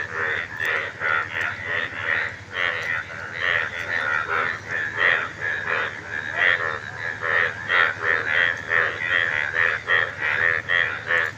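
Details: Calling frogs with vocal sacs puffing out on both sides of the neck; rapid series of harsh, pulsed croaks in regular bursts throughout, forming a loud chorus, with a human voice commenting in the background.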